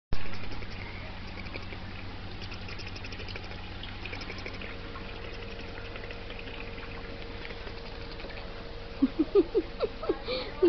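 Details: Gizmo, a male puppy dog, indoors: after a long stretch of steady low hum, a burst of short, squeaky, falling whimpers comes in quick succession near the end, each a brief high yip sliding downward.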